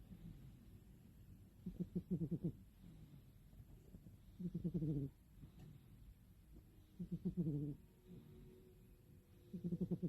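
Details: Loud snores from Mini the cat as she sleeps, four pulsed, rattling breaths spaced roughly two and a half seconds apart, each deep and throaty with a short wheezy tail, over quiet room tone.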